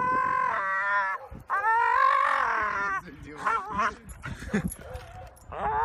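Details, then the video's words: Dog making weird, drawn-out howling barks, rising and falling in pitch, long tonal calls with a few shorter yelps, in a funny compilation. "Dogs weird barks"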